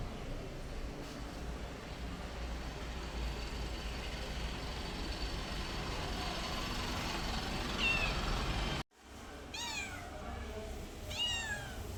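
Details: Domestic cat uttering two short, bright meows roughly a second and a half apart after a sudden break in steady background noise.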